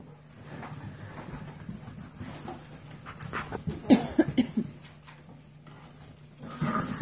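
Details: Playful seven-week-old foster puppies, a Golden Retriever mix, out of the playpen, panting and scrabbling, with a cluster of sharp high yips and whimpers around the middle and more near the end, over a faint hum.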